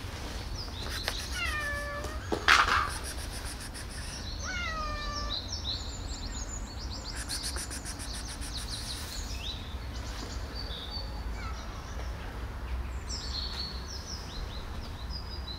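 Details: Diamond Nose, a spayed female street cat fed for over eight years, gives two falling harmonic meows early on, then faint chirping and high twittering sounds over steady low outdoor rumble.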